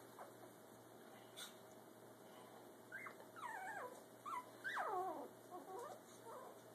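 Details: Brussels Griffon puppy Gus taking his first steps while parents Oscar and Athena look on; thin, high squeals sliding downward come in short bursts through the middle seconds, with quiet indoor background.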